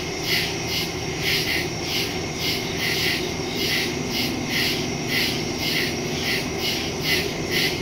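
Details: Crickets calling in nighttime woods, September 2, 2023, Samsung Galaxy S22 Ultra with Shure MV88+ stereo mic. Shrill, rhythmic chirps pulse about twice per second, some with sharp clicky accents, over a steady low hum.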